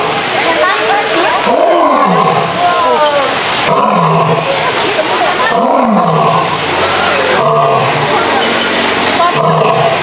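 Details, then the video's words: Roaring male lions at a zoo: deep, bowed roars, each swelling and falling over about a second, repeated several times, with onlookers chatting behind. "Lions Roaring Compilation"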